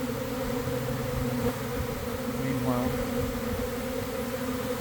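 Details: Buzzing of a honey bee swarm gathering into a cluster near a garden hive on a warm afternoon following cold, damp days; an even, sustained two-toned drone, with a single short wavering note near the middle.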